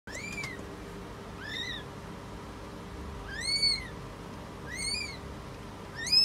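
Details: British Shorthair cat during birth: high, thin mews arching up and down with bright overtones, four calls spaced roughly every 1.5 seconds, the last loudest, over a steady low electrical hum.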